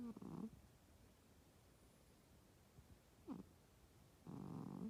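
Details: Domestic cat sleeping in bed during its owner's daytime nap, snoring loudly enough to disturb sleep: rough, raspy low snores in three bursts, with a short rising wheeze between longer rattling breaths in a quiet room.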